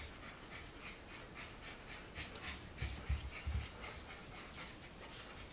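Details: Four-week-old golden retriever puppies panting: rapid, airy, hiss-like breaths repeating about three to four times a second, fairly uneven, with a few soft low thumps near the middle.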